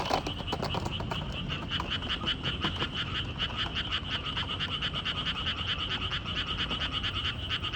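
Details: Along a walking trail, a crowd of frogs keeps up fast, rattling croaks, about three pulses a second per caller, overlapping into a continuous chorus with low rumbling underneath.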